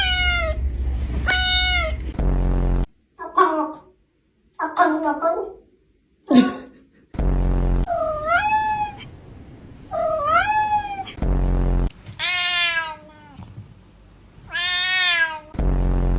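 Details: Cat meowing repeatedly, about six drawn-out meows that rise then fall, some short chirping mews between them, broken by recurring bursts of low buzzing noise and faint voices.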